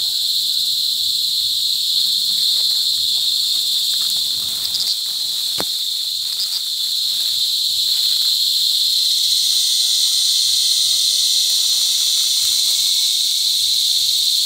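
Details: Loud cicada mating calls recorded July 18, 2020 in La Carlota City, Negros Occidental, during cicada season: unbroken, piercing high buzzing drone that shifts slightly in tone partway through, with faint bird notes and a sharp click beneath.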